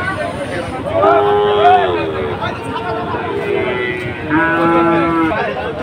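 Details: At Ambari cattle market on Monday, 24 July, Sahiwal bulls being bought by Chittagong traders give two long harmonic moos, each about a second, held level then dropping, separated by quieter calls amid background chatter and crowd hum.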